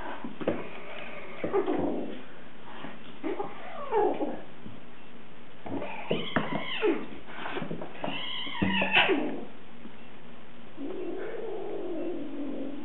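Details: Kittens playing rough; repeated short meows and drawn-out wailing cries rising and falling in pitch, with scuffles between calls indoors.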